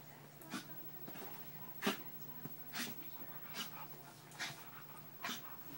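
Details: Husky and a papillon-chihuahua mix playing together indoors for the first time: short breathy huffs and soft whimpering bursts about once a second, with one sharper squeak near the middle.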